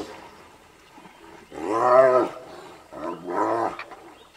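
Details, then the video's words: Pair of hyenas locked in a fight to the death, giving two long, loud, harmonic moaning squeals that swell and fade, separated by a brief quieter gap. "2 Hyenas fight to the death"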